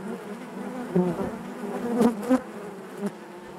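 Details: Low, even hum of many honey bees in their hive, with short louder buzzes clustered around the middle as bees brush close, then the steady drone resumes.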